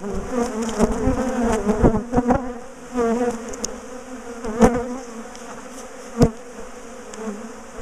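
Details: A big, defensive colony of bees being dismantled from a top bar hive gives a continuous droning buzz that wavers in pitch, with occasional loud knocks and bumps from the work.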